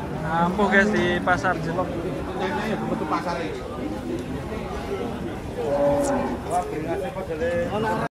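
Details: Large cattle coming down off a truck at Pasar Jelok market give drawn-out, low droning moos, one near the start and another around six seconds, over steady chatter of human voices and crowd bustle.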